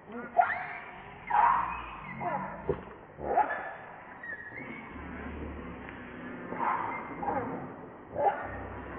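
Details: Baby monkey named Lucie, hungry for milk and crying to beg for it: wavering, harmonic cries rise and fall in bursts about every second or two, some sharper squeals among them, over a low steady background murmur.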